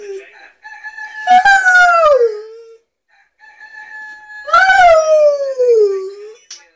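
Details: A male Rottweiler "sings" along to a cock-a-doodle-doo alarm clock, giving two long, drawn-out howls that slide downward in pitch over the rooster crowing.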